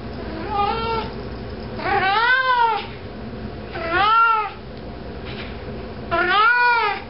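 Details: Pet cat wandering with a sock in its mouth, meowing; one short soft mew followed by three loud, arched, wavering meows roughly every two seconds, indoors with low background hiss.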